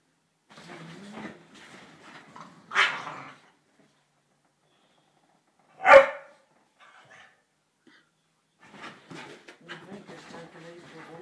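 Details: Two Staffordshire Bull Terrier pups at play: low grumbling and rough vocal noises with two loud, abrupt barks spaced about three seconds apart, then more muttering growls and scuffling.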